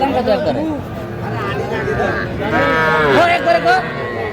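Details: Young bull and heifer calves for sale at a crowded Faridpur livestock market in Bangladesh on 8 February: short overlapping moos, one louder bending call near the end, amid people bargaining over prices.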